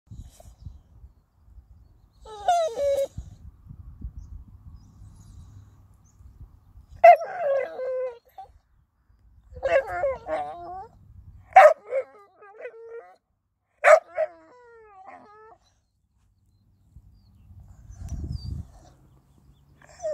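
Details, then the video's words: Blue, a happy Staffordshire Bull Terrier, talking: a series of short whining, yodelling vocal bursts, some sliding up and down, coming in clusters roughly every two to three seconds with pauses between, plus low rumbling handling noise. "Blue the happy staffy talking dog"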